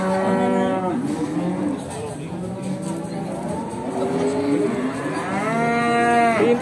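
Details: Mooing Pegon cattle at a busy animal market in Bekonang, Sukoharjo, Indonesia: long, resonant bellows overlapping one another, a strong rising moo near the end, with crowd noise and music behind.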